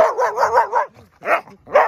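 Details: Border Collie at a slide giving a run of four quick, wavering, harmonic barks or yelps, then a short pause and two more separate bursts.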